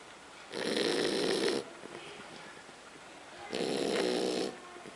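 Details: French Bulldog. Loud, rattling snores from a French Bulldog, each a harsh, buzzy breath lasting about a second. A quiet pause separates the two snores, with only faint room hush in between.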